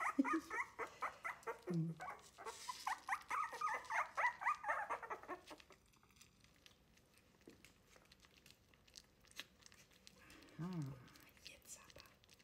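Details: Three-week-old Wire-haired Miniature Dachshund puppies fussing during a first feeding away from their mother; bursts of rapid whining yelps for the first half, then quieter shuffling with a single low whine later on.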